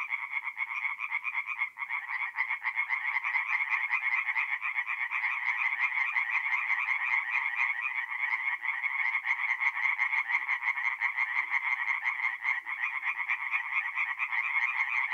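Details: A mid-April night at a forest pond in north-east Italy, where a crowd of tree frogs keeps up an unbroken chorus of quick, nasal, pulsing croaks, dense and steady throughout.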